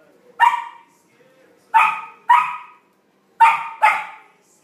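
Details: Samoyed puppy Flake meeting his first big ball, barking in play: five short bright barks, one alone, then two pairs, with quiet gaps between.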